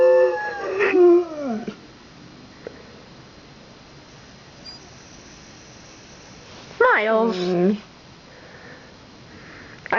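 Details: Two pet dogs howling indoors after fire truck sirens from a Santa Fire Truck Parade passed their street; a falling howl opens, then a woman talks, then another short descending howl.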